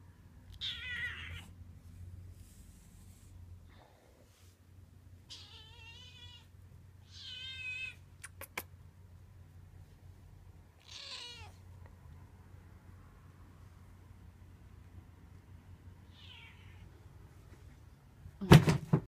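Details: A 4.5-month-old male F1 Bengal cat checks out a new mouse-in-ball toy, giving several short, harmonic meows, some wavering, over a low indoor hum.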